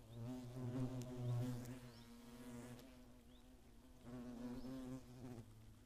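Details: Hornets attacking in the Eifel, Germany, during a good hornet year of 2017 with many nests: a steady low droning buzz with harmonic stacks, swelling and fading as insects pass, plus faint high chirps.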